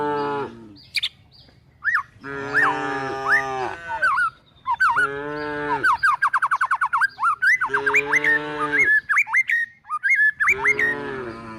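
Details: Cows and calves being driven toward the forest in search of food give repeated deep lowing moos, each one to two seconds long, alternating with busy bird chirps and rising whistles in the background.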